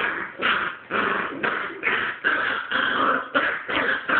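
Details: Puppy turning aggressive on an older dog: rough, harsh growling snarls in rapid bursts, roughly one every half second, continuous and loud throughout.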